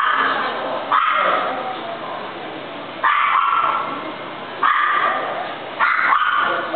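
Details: A golden retriever gives four loud, ringing barks roughly every one to two seconds, each starting abruptly and fading slowly into a reverberant decay.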